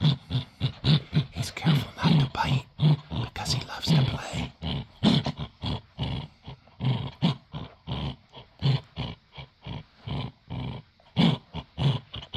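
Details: Male Dachshund in a tug-of-war game over a toy, growling without biting. Steady stream of low, choppy growl pulses roughly every half second, uneven in strength, with faint human voice at moments.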